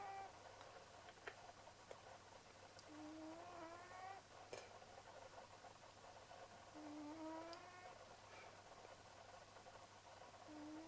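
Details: Leo the pet cat asleep, giving soft whistling snores with a faint upward squeal, spaced a few seconds apart, with a few light clicks and a constant background hum.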